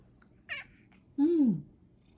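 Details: Male rescued cat standing on a step stool to have its collar put on, after hesitating about going for a walk: a brief higher chirp, then one loud drawn-out meow that rises and falls over about half a second, with a woman talking around it.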